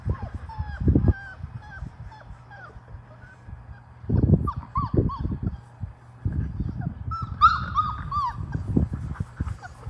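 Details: Labrador Retriever puppies, five weeks old, in a shallow baby pool trying water for the first time; scattered thin rising-falling whines between loud low splashing and thumping bursts, with a person talking.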